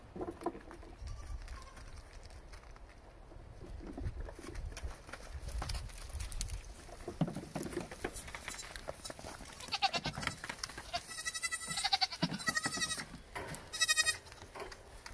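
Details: Nigerian Dwarf goat kids romping with mothers and friends; after a stretch of rustling and handling noise, three short quavering bleats arrive near the end.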